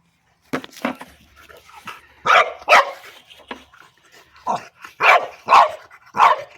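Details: French Bulldog playing with its orange pipe toy: softer yips and grunts at first, then several loud, rough barks at irregular intervals, while a person urges it on.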